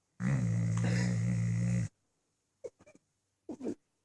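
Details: Deep, loud, buzzing snore from a sleeping dog, said to sound like a tank, a single drawn-out rumble of nearly two seconds, then brief soft clicks and a short squeak-like noise.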